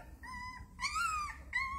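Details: One of a mother dog's puppies, whose noise wakes the household cats, gives three high, thin whines, the middle one longer and arching up then down.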